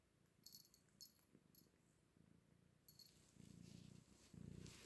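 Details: Pet cat purring in a low, rumbling pulse that swells louder over the last second and a half, a sound likened to a motorbike engine; brief high squeaks and rustling come early on.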